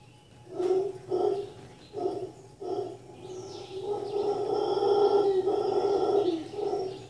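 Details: At The Sanctuary in Cabuya, Costa Rica, howler monkeys give a handful of short gruff grunts, then swell into a long continuous rasping roar lasting several seconds, with thin bird whistles in the background.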